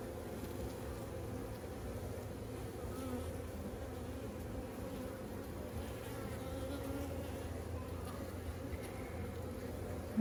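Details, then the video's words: Honey bees swarming over opened frames during a first hive inspection of a colony installed about a week earlier: a steady, low droning hum with layered tones, unbroken for ten seconds, a faint click at the very end. "First honey BEE HIVE INSPECTION!"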